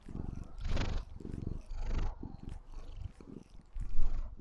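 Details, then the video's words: White Maine Coon kitten named Lilith purring loudly while showing affection to her owner; rhythmic low rumble in pulsing breaths, with brief louder bursts near the start and end. "MAINE COON KITTEN | Shows love, purrs"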